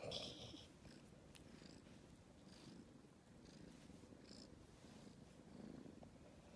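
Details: Aleef, the young calico rescue kitten, purrs quietly and steadily in a low rumbling drone close to the microphone, with faint soft noises above it.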